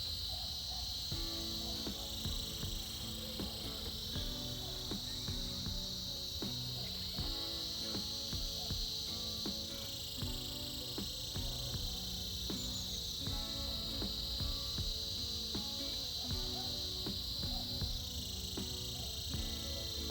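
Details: Vibrant cicada chorus heard in winter, an even high buzz sustained for the whole stretch with slight swells, accompanied by gentle melodic music with repeated plucked notes.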